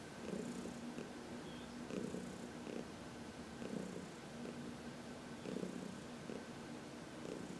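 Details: Contented purr from Heidi, an elderly cat adopted from a New York City shelter, massaged in sunshine on March 19, 2021; even low purring pulsing in regular breath cycles, about one swell every two seconds.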